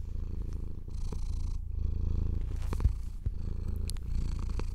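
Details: Pet cat enjoying being stroked, purring steadily. A low, rough rumble continues in breathing pulses, with light rustling and brushing of fur on top.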